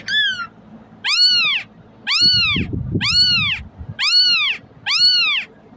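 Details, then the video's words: A kitten crying to summon cats gives loud, rising-then-falling meows with bright harmonics, about one per second, over a brief patch of low rumble in the middle. "เสียงลูกแมวร้อง ใช้เปิดเรียกให้แมวมาหา"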